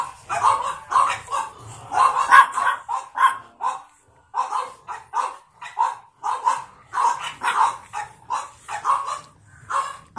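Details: Pug born on 9 April 2017, light blue collar, with another pug; steady, almost continuous high yapping barks in quick bursts throughout, a few whiny yelps mixed in, little else audible.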